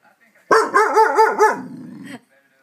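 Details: A domestic dog reacts to neighbourhood fireworks with a run of four rapid, wavering, yodel-like barks, then a low rumbling growl that fades out.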